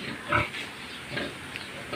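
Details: Pig, shown where a short, low-set sow is bred for piglets: a sharp harmonic squeal near the start, then softer nasal grunts spaced through the rest, over steady background hiss.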